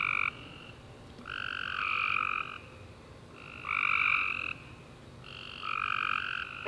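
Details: Tree frogs calling after a warm, rainy summer day at night, sending out bursts of overlapping harmonic trills roughly every two seconds, quieter gaps of faint background hiss between bursts.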